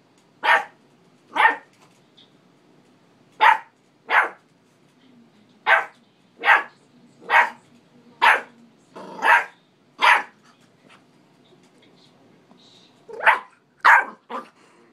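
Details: Male dog excitedly barking at himself, sharp separate barks in loose runs, about fifteen in all, with a pause of a few seconds before a final cluster; background otherwise quiet.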